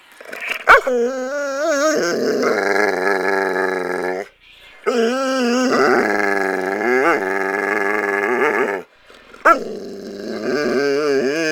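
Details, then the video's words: A pet dog imitating a motorcycle, producing long, sustained harmonic howl-like vocalizations with wavering pitch, in three extended bursts separated by brief pauses, plus a sharp click near the start. "dog making weird noises"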